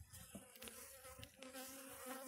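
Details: Russian honey bees hum with a steady, low, droning buzz as many wings beat together while their hive on a black stand is opened for its first inspection, showing some capped cells.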